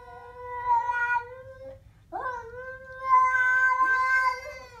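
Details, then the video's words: Siamese cat growling at a stray cat: a long, steady, harmonic yowl lasting over a second, a brief pause, then a rising swoop into a second drawn-out, wavering yowl held for about two seconds. "My siamese cat growls at a stray"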